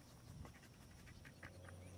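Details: A dog panting softly in short, breathy bursts that repeat at a quick, fairly even pace, over a steady low rumble of background noise.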